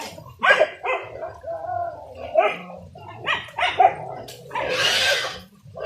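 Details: Village dogs barking during a traditional wild boar hunt with dogs and spears: short, sharp barks in separate bursts about every second, with a rushing noise near the end.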